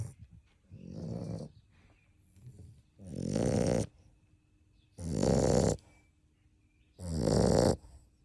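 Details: A 7½-week-old puppy asleep at nap time with its littermates, snoring loudly for its size: four deep, rasping, broadband snores about every two seconds, with quiet breathing between them.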